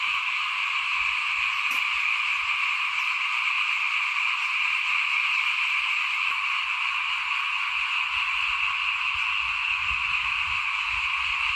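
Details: Steady frog chorus recorded in front of a house at 2021 rice sowing time: bright, continuous high trills and buzzes with no pauses, a faint click near the start and light low background noise.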